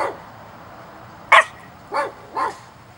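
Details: Chihuahua watchdog on lookout barking: one sharp, loud bark followed by two shorter, softer yaps about half a second apart.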